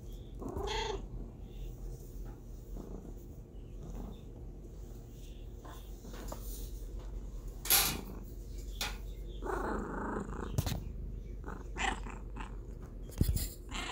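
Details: Domestic cat purring as a steady low rumble throughout, broken by a short meow near the start and several sharp clicks and knocks.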